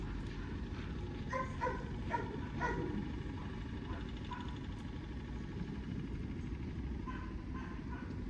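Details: Several quick barks from a German Shepherd at basic obedience training, grouped in a burst early on and again near the end, with a constant low hum underneath.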